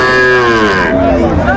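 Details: Loud, sustained harmonic moo from Sahiwal cattle at a Faridpur market in Bangladesh, the tone sliding slightly downward, with market noise behind.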